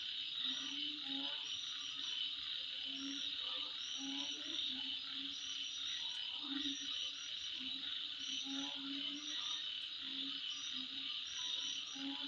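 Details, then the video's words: Midnight insect chorus with a continuous shrill whirring hum, scattered bright high chirps in quick groups, and deeper croaking notes sounding every second or two underneath. "Sound Of Insect At Midnight"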